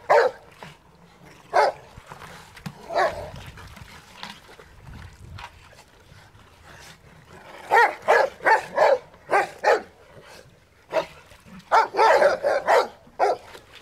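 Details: Rottweilers playing in water bark repeatedly, scattered at first, then in quick runs of several barks, with short pauses between bursts.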